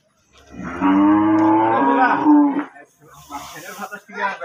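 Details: Holstein Friesian cow, offered for sale at a low price, lets out one loud, drawn-out harmonic moo of about two seconds, followed by brief voices and shuffling.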